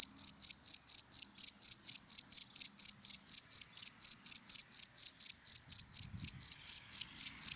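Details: In daytime dry grass a cricket chirps cleanly and loudly, producing bright high pulses at a regular pace of about four per second, with nearly silent surroundings.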